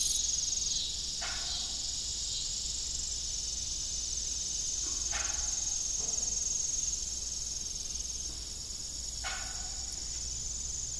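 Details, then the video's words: Crickets at evening on an old farm with a rusty broken windmill: a constant high-pitched chirring chorus, with a creaking metallic squeak repeating about every four seconds. "Evening Cricket Sound"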